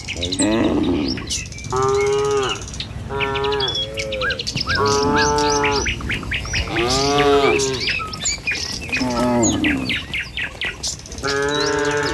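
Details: Morning cattle herd, tame, moving down a village road to the pen: a steady run of roughly seven resonant moos, each about a second long, with birds chirping rapidly throughout.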